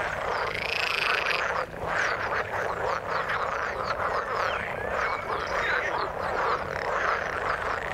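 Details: Croaking frogs in the water, a busy chorus of quick rattling notes and short upward-sweeping calls, with a brief dip in the din near the two-second mark.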